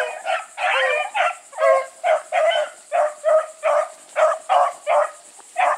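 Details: Bluetick Coonhounds running together with a dog named Sassy, giving loud ringing bays repeated roughly every half second, each a short burst with rich stacked harmonics; a steady high hiss runs beneath.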